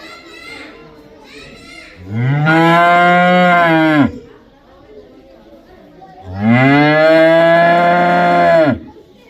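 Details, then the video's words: Cow mooing twice, each moo a loud, drawn-out, steady-pitched bellow of about two seconds with a downward bend at the finish, separated by a four-second pause, with faint calls before the first. "Cow sound | cow sound effect | cow video"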